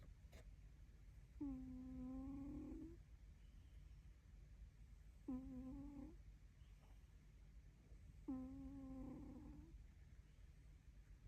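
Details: Dog snoring after eating its fill: three evenly spaced nasal, whistly snores, each about 1.5 seconds and slightly rising at the end, repeating roughly every three seconds in a quiet room.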